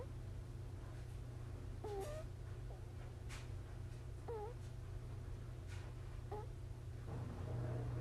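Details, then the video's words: Five-month-old kitten snoring in sleep, lying snuggled against its littermate sister indoors; short squeaky rising whistles recur roughly every two seconds over a steady low hum. "Kitty Snoring"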